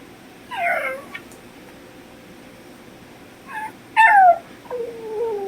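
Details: Puppy howling because it misses its mother, who has been gone less than five minutes: several high, wavering, falling cries with harmonics, a short yelp near one second, then two longer descending howls ending in a drawn-out whine.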